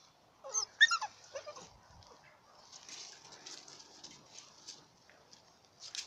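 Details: American Bully dogs and pups of ABKC pedigree lines: a quick cluster of high, sharp yips and whimpers early on, then softer faint rustling and breathy sounds continuing in the background.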